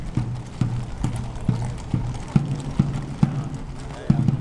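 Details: Police horses on the Grote Markt in Brussels, their hooves striking in an even clip-clop of dull thuds about every half second, over a steady low hum.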